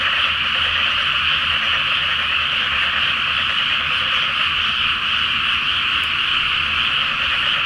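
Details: Many frogs calling together at night in a flooded rice field before planting, under a full moon in Japan: a dense, continuous massed croaking chorus with no gaps, steady throughout.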